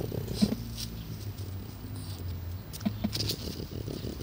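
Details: Taro, a 12-year-old French Bulldog, out on a walk on 15 July 2016; a low, droning, harmonic grunt runs for about two seconds, then short snuffling bursts and faint clicks follow.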